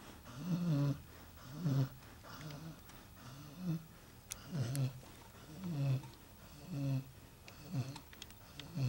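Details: Pet dog named Red snoring loudly indoors while asleep, low rumbling snores about once a second in a steady rhythm, with faint background sounds.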